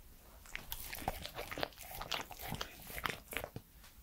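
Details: Three-year-old male Welsh Corgi Pembroke eating indoors in a small room, recorded up close: crisp crunching and biting sounds at irregular intervals, wet mouth clicks between bites, over a quiet background.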